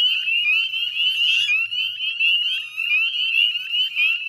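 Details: Dense dusk chorus of northern spring peepers at a salt marsh wetland in West Chezzetcook, Nova Scotia, Canada, mid-May 2020; countless high upslurred peeps overlap into a steady piercing trill, with a brief hissy burst partway through.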